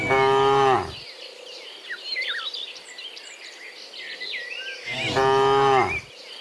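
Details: Cows in a herd of dozens walking home from the fields to the pen in the afternoon, being herded: a deep, drawn-out moo with falling pitch opens, bird chirps fill a quieter stretch, then a second long moo follows.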